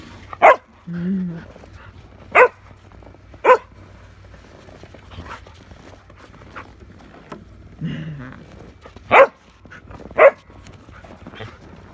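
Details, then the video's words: Shetland sheepdog named Merlin barking while playing with a shovel: six sharp, loud barks spaced one to two seconds apart, with short stretches of a woman's talking between them. "Sheltie barking at Shovel"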